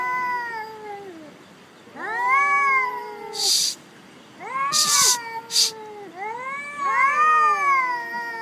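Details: Black cat Jerry fighting on a cat-island jetty produces arching, rising-then-falling yowls, about four screams in eight seconds, broken by short hissing or spitting bursts in between.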